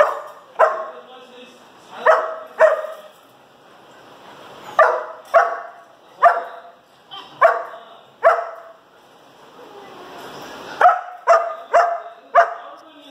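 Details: Barking dog, the pair said to be a baby pitbull and a bulldog: sharp, mid-pitched barks that come mostly in doubles and triples, around fifteen in all across thirteen seconds, with short quiet gaps between the bursts.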